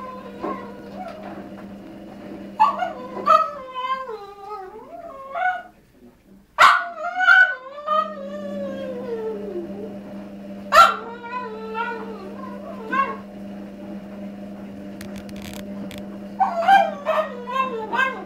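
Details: A male Cavalier King Charles Spaniel, 1½ years old, whines in long, wavering, falling cries, pining for a female in heat who lives downstairs in the same house.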